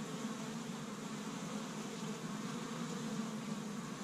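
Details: Busy honey bees at an established hive in Michigan, first warm day of spring, pollen gathered from tree buds; a short stretch of dense, low, steady humming from many bees with faint higher overtones.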